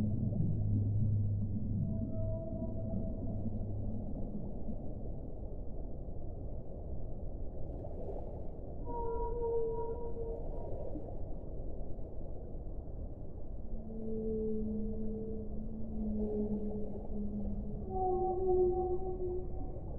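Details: Whale song: a sequence of long, steady moaning tones at shifting pitches, some deep and held for several seconds, others higher and shorter, rising and falling across twenty seconds over a constant low underwater rumble.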